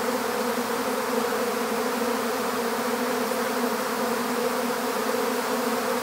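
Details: Honeybees swarming as they are gathered into an empty hive; an unbroken, steady, humming buzz of many bees, level and dense from start to finish.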